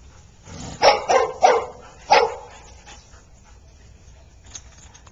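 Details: Golden retriever and husky playing at daycare at Oxford Pet Resort; a cluster of three rapid barks followed by a fourth after a short gap, then quiet background.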